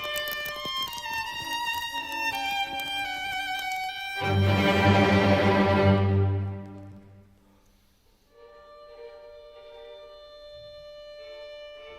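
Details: Only bowed violin and string music plays, swelling loudly midway then fading to sustained quiet notes, with no animal sound.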